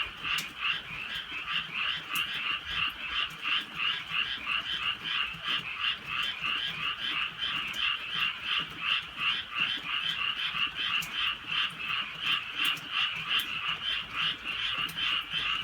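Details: Countryside night chorus of frogs in light rain, a continuous throbbing wall of croaks pulsing about three times per second, punctuated by occasional sharp ticks.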